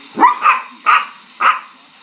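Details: Dog howling in response to a passing fire truck siren: four short, tonal, wavering cries about half a second apart, each rising then falling, over a steady faint background hum.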